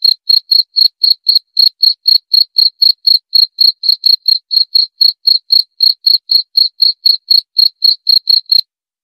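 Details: Unbroken run of bright, high cricket pulses, roughly four each second for about eight and a half seconds, before stopping abruptly; no background noise.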